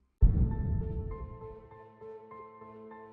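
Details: A sudden low, booming musical hit with sustained tonal notes fading out, and no animal sound.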